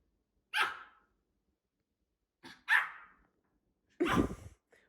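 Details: A Pomeranian barking suddenly at a snack it dislikes: three sharp, high yapping barks spaced over about four seconds, the last one harsher and longer, in a quiet room.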